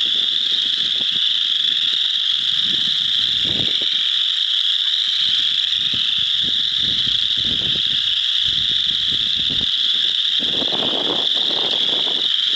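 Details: Many chorus frogs in a frog pond, joined by some wood frogs, form an unbroken high-pitched trilling wall of sound, steady throughout, over intermittent low rumbling and rustle.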